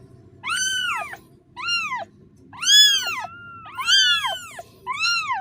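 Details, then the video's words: Young kitten that has lost its mother calls out in drawn-out, arched meows, about six in five and a half seconds. One long, wavering cry links two of the calls. "The sonud of a kitten losing its mother(Suara anak kucing memanggil induknya)"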